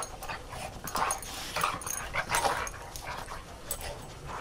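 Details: Three dogs at play in the snow, giving rough, growly bark-like bursts in quick succession, several within a few seconds, mixed with scuffling and crunching sounds.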